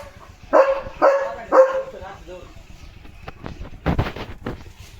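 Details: Barking at a tractor on a farm road at sunset, Leo the German Shepherd gives three strong barks about half a second apart. Scuffing and rustling noises follow.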